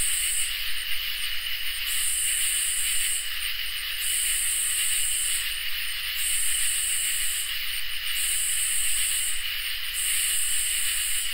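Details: On a summer night, crickets keep up a constant high-pitched ringing while katydids add pulsing, hiss-like buzzes, around six of them, each lasting one to one and a half seconds with short gaps between.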